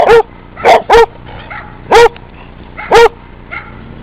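A Basset Hound gives deep, resonant barks with a ringing, slightly bawling tone, about one per second.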